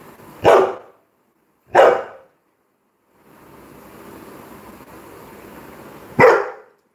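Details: Coco, a Labrador Retriever, gives three short, sharp barks at irregular intervals of one to four seconds indoors during a livestream, with a low background hum between them.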